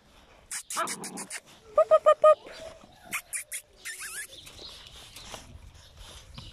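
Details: Eight-week-old puppies of a mother dog named Singer, described as the first to offer games to her pups; a quick run of four high, thin squeaks close together, among scattered scuffling noises and a few soft human words.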